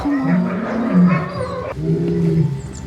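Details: Lions at a French safari park during an evening light show, stated to be live rather than recorded; low moaning groans in drawn-out bursts, with a broad noisy wash and show sounds behind.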